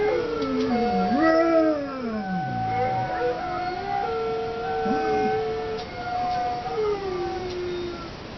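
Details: Howling from Zeus, a dog: two overlapping voices, one sliding down into low moaning notes while a higher, steady howl holds beneath, ending in long falling tones.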